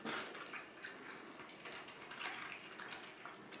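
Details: Two hungry pet cats, orange tabby Chai and mackerel tabby Sushi, begging for food because they cannot wait for mealtime; soft, thin meows rise in short bursts over a quiet hiss, with faint high tinkling tones.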